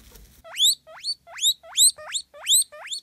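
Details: {'caption': 'Guinea pigs Mr Jaffas and Baileys squabbling over a banana, one wheeking: loud rising squeals repeated about twice a second, each sweeping sharply upward, in a steady series of seven calls.'}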